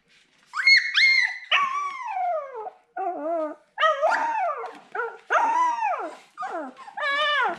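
A Siberian Husky puppy whines in high, falling cries, calling out for its mother.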